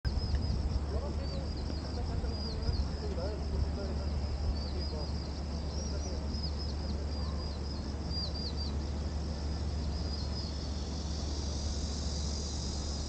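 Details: Cicadas at Gwanggyo Lake Park, Korea, recorded on 8 September 2021 with a VR360 camera; a high buzzing band carries short repeated wavering phrases about once a second over a steady low rumble of city noise.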